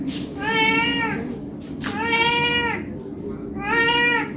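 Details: ['A hungry cat begs for food with three long, slightly falling meows spaced about one and a half seconds apart, with soft room noise between calls.']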